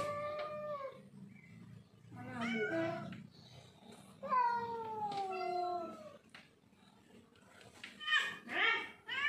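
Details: Domestic cats squabbling over territory, trading wavering, descending yowls and drawn-out moans, some overlapping, with quieter gaps and low background rumble between calls.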